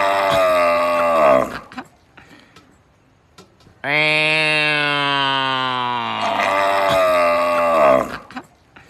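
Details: Cow mooing in three bursts: a hoarse tail of one call, a quiet gap, then a full, deep, steadily falling moo that roughens at the end before fading.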